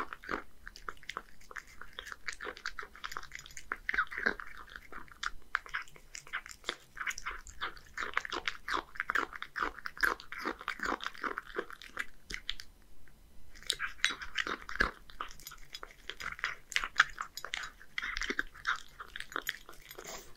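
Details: Hige, a one-year-old male Scottish Fold living in Japan, eats boneless horse mackerel mixed with dry cat food indoors: dense crunching and wet chewing in quick bursts, with a short quiet gap midway before the crunching resumes.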